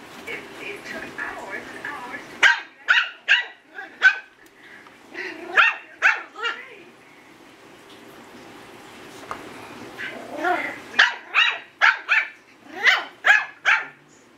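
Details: An 8-week-old Yorkie puppy's first barks, indoors: clusters of sharp, high-pitched yaps, several per second, with a quieter gap midway before another energetic run of barks.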